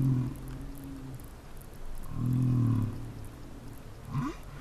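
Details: Humpback whale song phrase picked up by a seafloor hydrophone: low moaning tones with a steady hum, a louder swelling groan midway, and a short rising upsweep near the end.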